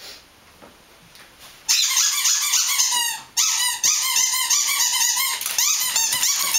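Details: Barking dogs: after a quiet opening, a steady stream of shrill, squeaky yelps with wavering, rising and falling tones, several voices overlapping almost without pause.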